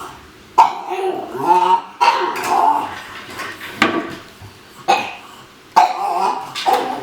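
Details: Pug given a new slow-feeder food bowl, making strange, weird noises: a series of short, nasal, whiny bursts with wavering tones, separated by brief pauses, in a small indoor room.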